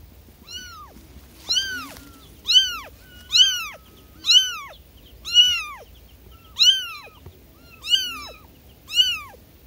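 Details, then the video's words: Newly born kittens crying for their mother: clear, thin, arched mews that climb and drop, repeated about once a second with short silent gaps between, each cry bright and harmonic-rich against a quiet background. "SUARA ANAK ANAK KUCING BARU LAHIR MEMANGIL INDUKNYA"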